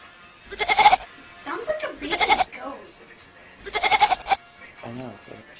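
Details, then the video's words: Cat giving goat-like bleating cries, said to sound like a baby goat: three nasal, wavering bursts about a second apart, with laughing human voices in between and a short spoken phrase at the end. "sheep cat~goat cat"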